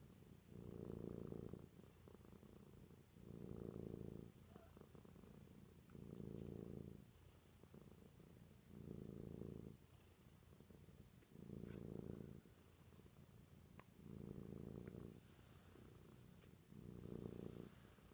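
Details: Sparky, a female cat, purring herself to sleep indoors: a low, rumbling purr that swells and fades in steady breaths, one long pulse roughly every two and a half seconds, with quiet pauses between.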